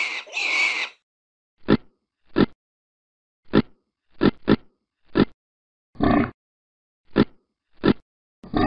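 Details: Vietnamese pot-bellied pig, a small domestic breed, giving short deep grunts in an irregular series, about ten brief bursts over nine seconds, opening with a longer higher squeal-like snort; otherwise quiet between calls.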